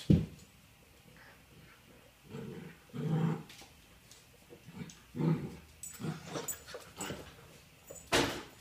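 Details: Cindy, a female puppy, spars with her old nemesis, a basketball, at play: short rough growling and yipping bursts come every second or so, some louder and sharper, with a scuffle of movement between them.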